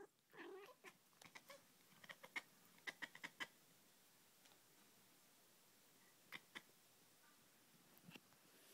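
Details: Indoors, a female cat reacts to laser light with dolphin-like noises: a quick string of crisp clicks and faint squeaky chirps, growing sparse, with a soft rustle at the start.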